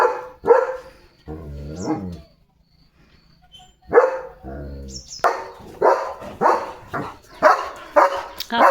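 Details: Leo, a pet German Shepherd, barking to draw attention during a day of command practice and car jumps; sharp broadband barks, two isolated, then a rapid string of barks over the last three seconds, mixed with human speech and music.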